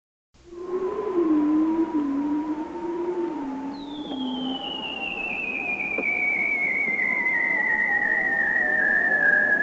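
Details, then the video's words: A bearded seal in Alaska, recorded underwater by hydrophone, gives a wavering low warble, then a long, eerie whistle gliding slowly downward. "So let's listen to a bearded seal that's vocalizing."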